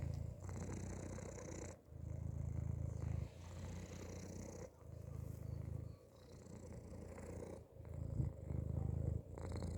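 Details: A cat inside a hoodie purrs steadily in a low, throbbing rumble, each bout lasting over a second and broken by brief breath pauses, repeating rhythmically throughout.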